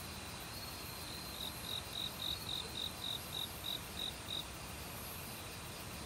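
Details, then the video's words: Autumn night chorus in a Korean forest, one cricket in front: about a dozen crisp high chirps, roughly three a second, beginning and ending softly, set against constant rushing stream water and a distant insect hum. "가을 귀뚜라미 소리"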